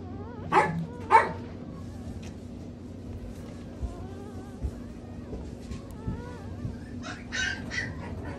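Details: Newborn light apricot poodle pups: two quick yelping squeals at the start, faint wavering whines in between, then a cluster of short squeals near the end.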